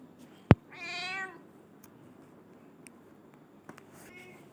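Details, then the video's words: A black-and-white pet cat gives one brief, clear meow just after a sharp click, followed by near silence with faint room noise and a small knock. "cute cat"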